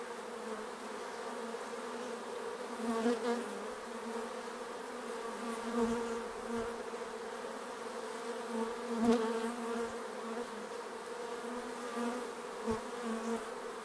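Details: Honeybee-like hum of many bees flying around their hive, a steady layered buzz with occasional louder passes of single bees close by and a few faint clicks.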